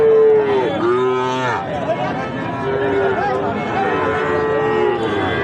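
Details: At the twice-weekly Ambari haat market, Sahiwal bull calves offered for farm buyers give drawn-out, tonal moos, some sliding downward and others held steady, several in a row over a background of chatter and market bustle.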